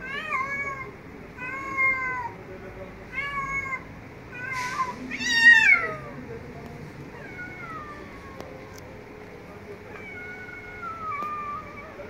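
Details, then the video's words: Street cats meowing and talking very loudly: a rapid series of short meows, then harsher, noisier yowling cries, followed by longer drawn-out meows sliding downward, with quiet background between calls. "Street Cats meowing and talking - very loudly"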